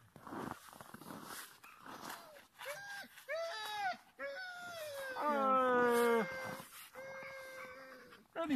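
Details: Chorus of Siberian huskies at a husky farm in Rovaniemi, Lapland, Finland: several overlapping harmonic howls and whines, some rising and falling quickly, others long and level, building to a loud peak near the end.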